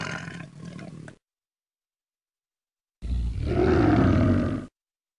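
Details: Tiger producing a short low growl, then after a pause a louder, sustained roar with a rough, rising and falling tone.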